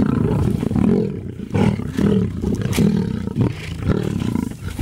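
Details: Lions feeding at Antelope Park in Zimbabwe, giving rough, low growling rumbles in bursts roughly every second, each swelling and fading with short pauses between.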